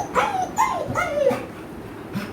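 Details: American Bully dog, happy and excited while being taken out on a trip, giving a few high, wavering whines that rise and fall, with short gaps between them. A person speaks briefly nearby.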